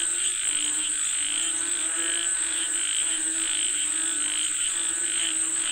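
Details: Frogs croaking together to call for rain, pulsing calls rising in repeated surges roughly every second, over an unbroken high-pitched insect hum.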